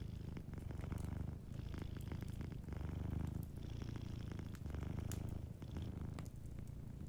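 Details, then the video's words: Gentle purring from a cat asleep by the fire, low and buzzy, rising and falling in rhythmic breath cycles, while wood crackles and snaps lightly in the background. "Warm Fireplace Ambience with a Sleeping Cat 🐱💤Fireplace & Soft Purring"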